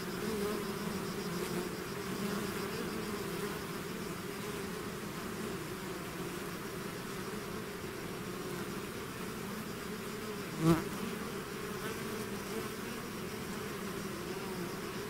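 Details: Steady drone of a bee swarm leaving its hive, layered low humming tones holding level for fifteen seconds, one sharp close pass of a single bee near the end.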